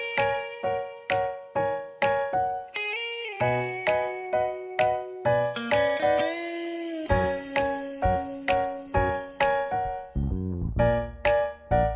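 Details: A tinkling, chiming children's tune plays with steady plucked notes and a brief rising sweep, and no animal voice.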